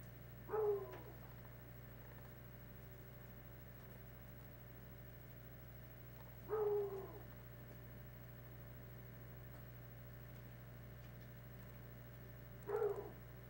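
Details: Hound dogs, stirred up by something passing through the woods, give three spaced drawn-out bays roughly six seconds apart, each a short mournful howl falling slightly in pitch, over a steady low hum.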